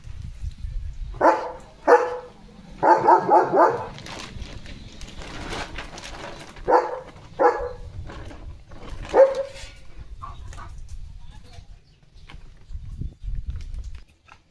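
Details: German Shepherd dog in a home courtyard on a rainy day with a rainbow overhead, giving scattered, irregular deep barks in short bursts, some grouped closely together, with people talking and laughing nearby.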